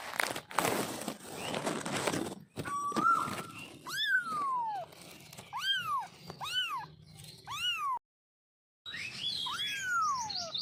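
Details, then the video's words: Baby kitten giving a run of about six meows, each a bright arched cry sliding up then down, some shorter and squeakier. Handling noise and rustling come before them, with a brief silent break near the end. "Baby Kitten vioce"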